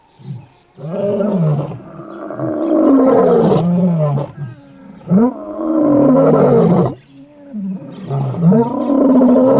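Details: Morning roaring from Casper the white lion's brothers on the H1-3 road near Satara, Kruger National Park, summoning him; long, loud overlapping deep moans, almost continuous, with brief gaps between powerful bursts.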